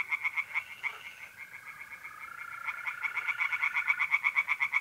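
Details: Tree frogs singing at night in a pond in mid-April, north-east Italy: rapid pulsed croaks repeated about three per second, with a steady trill of mole crickets running beneath.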